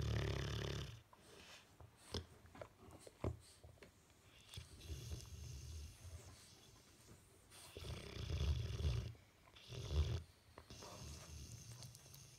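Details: Sleeping Bullmastiff with twitching face makes irregular low snorts and short rumbling snores separated by quieter breathing and small clicks.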